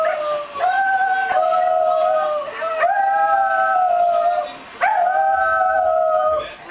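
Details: Pair of dogs enjoying a joint howl: sustained, smooth, tonal howls in long drawn phrases, each held a second or more and broken by short gaps, with a second voice overlapping at times.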